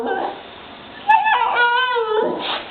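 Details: Female Husky puppy named Tundra cries after being called a crybaby by her owner; a human voice comes first, then a wavering, whimpering cry in several bent pulses, ending in a brief higher yelp.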